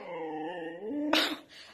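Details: Siberian Husky, upset and jealous after its owner pets another dog, gives a long, wavering whine that rises in pitch and ends in a short, louder yelping burst, indoors.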